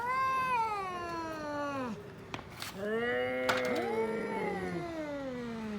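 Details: Fighting cats trade moaning yowls, a long descending howl followed by overlapping wavering cries from two voices, steady and fairly quiet with faint background clicks.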